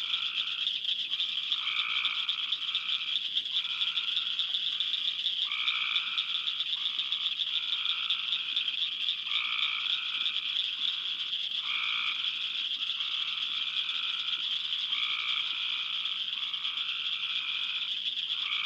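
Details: Cope's gray tree frogs give an almost fluttering call in a midsummer chorus. Short trills repeat steadily, roughly one per second, in lower and higher tones, over a constant bright clicking chorus of cricket frogs.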